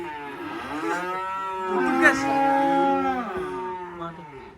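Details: Sacrificial black cattle arriving by truck at a rural pen with two animals still aboard: a drawn-out, wavering moo rising and bending in pitch, loudest around the middle and fading at the close.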